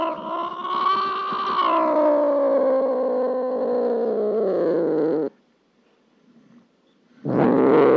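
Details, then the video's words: Domestic cat giving a long, low, harmonic yowl that holds steady then slides gradually downward for about five seconds, followed by a brief silence and the start of another loud sound. "Sounds of cats"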